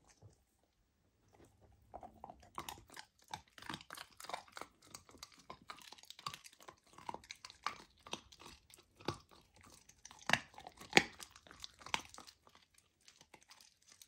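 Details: Golden retriever puppy Lilo tries raw lamb for the first time, filmed indoors as ASMR. Near-silence for two seconds, then steady crisp crunching and sharp biting clicks, about one and a half per second, loudest near the eleventh second.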